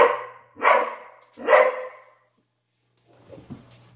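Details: Dobermann barking at Halloween, two sharp barks less than a second apart, then quieter faint sounds and a low hum.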